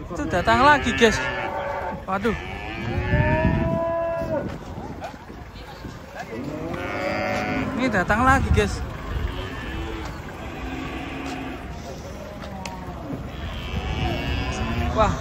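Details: Giant cattle arriving and coming down from a truck in the morning, lowing repeatedly: several drawn-out, harmonic moos, some rising then falling, overlapping across the recording amid background bustle.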